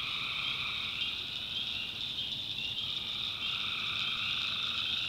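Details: At night in a backwoods North Carolina swamp, tree frogs form a continuous shrill trilling chorus, with a lower rapid croaking layer that drops out for a moment near the middle and then returns.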